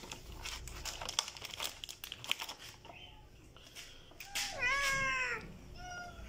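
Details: Hungry stray kittens eating food; after a stretch of crinkling and rustling, one clear drawn-out meow rises then falls near the end, followed by a shorter fainter meow, with a human voice calling nearby.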